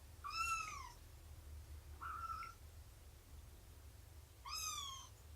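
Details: Meowing cats at a morning snuggle, nursing and play time with Shelby, an abandoned two-year-old mother, and her kittens; three clear, high meows with downward-curving tones, one softer and shorter, over a low steady hum.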